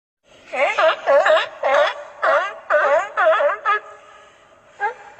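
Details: A California sea lion gives a run of harsh, honking barks, very like a barking dog; the species lives and breeds along the west coast.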